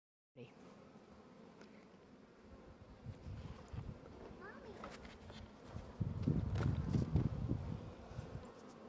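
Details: Honey bees inside an opened hive: a low, dense hum with irregular thumps and handling knocks, growing louder toward the end, with brief human speech in the background.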